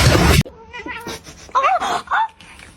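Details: Domestic cat giving a short run of wavering, slightly rising and falling meows after a loud thump, with faint background noise in a room.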